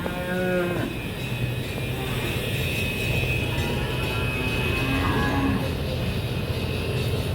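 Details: Cattle at a farm where bull calves are being selected for purchase, beside large pregnant cows. A short, low, tonal moo opens the recording. A fainter, brief call follows near five seconds, with steady engine-like hum and crowd noise throughout.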